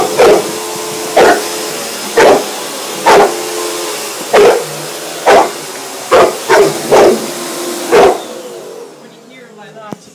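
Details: One-year-old Bullmastiff barking at a hoover: deep, harmonic barks in a series of about ten over eight seconds, roughly one per second, some in quick pairs, over the steady hum of the vacuum cleaner.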